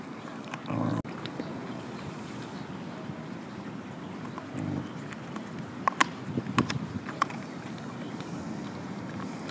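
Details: Mother dog chewing on a bone gives a low throaty threatening growl at another dog approaching, warning it away; short low rumbling bursts near the start and middle, with clicks and knocks later over steady background noise.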